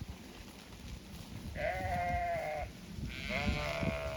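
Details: Zwartbles sheep on a County Kilkenny regenerative farm in Ireland, two bleats in succession, each about a second long, steady and wavering, over low rumbling background noise.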